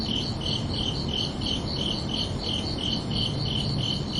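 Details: A brief burst of summer-night cricket chirping: about a dozen sharp, high pulses in quick regular succession, set against a muffled low background drone.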